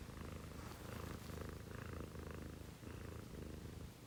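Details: Close, rhythmic purring from a household cat at 6 a.m., home to a female Scottish Fold and a female Munchkin: a deep vibrating rumble that rises and falls in breath cycles about every half second, with no other sounds.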